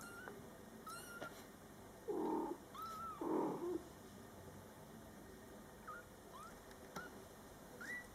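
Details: Mother cat Coco talking to her Scottish Fold kittens born July 22, 2012, during their first month: two low, broad murmuring calls from the mother among thin, high rising kitten mews scattered through the clip.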